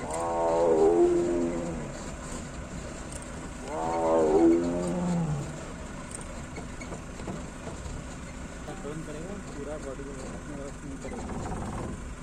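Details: A big male tiger, T-101, on the road in Ranthambore National Park on a foggy morning gives two deep, moaning roars a few seconds apart, continuously roaring to call a female.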